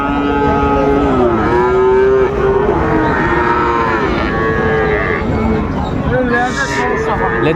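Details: Cattle, Friesian and crossbred bull calves for sale at Raniganj cattle market, Dinajpur, on 3 September 2024: several drawn-out, bending moos overlap one another through the clip, set against a constant hum of crowd chatter and traders talking.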